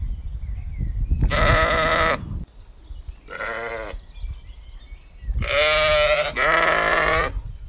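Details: Baldwin Welsh Mountain sheep grazing in a field with their lambs give four wavering, nasal bleats, each about a second long, the last two back to back, over a low rumble of outdoor noise.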